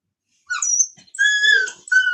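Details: Cane Corso, the Italian Mastiff, at a breeder an hour west of Nashville, Tennessee: high, thin tonal whines, a short squeaky cry followed by a long sustained whine, then another whine starting, in a quiet setting.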